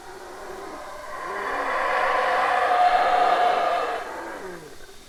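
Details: Howler monkey giving a long, swelling roar that builds from quiet to loud over two seconds. It holds as a harsh, wind-like rush, then fades away with a faint falling moan at the close.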